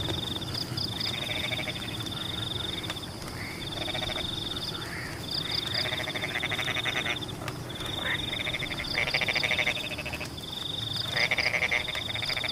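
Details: Frogs calling in the rain in Pematang rice fields: a dense chorus of rapid pulsed croaking bursts lasting one to two seconds, overlapping a steady high insect-like trill, with constant rain noise underneath.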